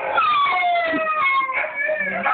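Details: A 2-month-old Siberian Husky puppy howls along with a video of two huskies: sustained, wavering tonal howls drifting lower in pitch, with the overlapping playback howl alongside and faint background noise.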